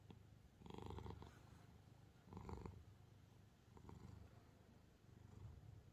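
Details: Calico cat Angttu, lying on piled books to stop its owner reading, purrs in clear swelling cycles roughly every one and a half seconds, each breath a low, buzzy rumble rising and fading.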